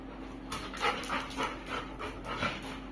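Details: Labrador Retriever Kulfie panting hard: rapid rhythmic huffs about three per second, breathy and bright, with a faint steady background hum.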